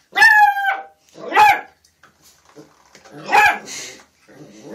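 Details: Puppies yelping: a high, strongly tonal yelp opens, followed by a shorter rough yelp, a quiet gap with faint scuffling, then a louder burst of yelping and softer trailing noises.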